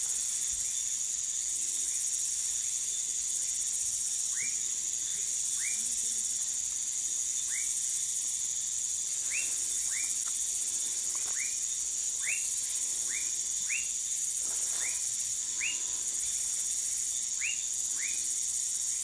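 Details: Dwarf tree frog (Dendropsophus nanus) recorded in Manaus, Amazonas, Brazil: short, upswept notes repeated irregularly about once a second, set against a loud, constant high-pitched insect chorus.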